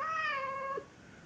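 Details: A Chechen cat's meow, tonal with clear harmonics, slowly falling in pitch and fading after under a second, in a quiet room.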